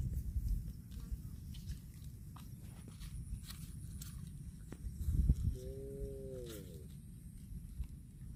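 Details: Cow eating grass gives one short moo near the end, a steady tone that bends downward over about a second, after a long stretch of low rustling, chewing and footsteps on the ground.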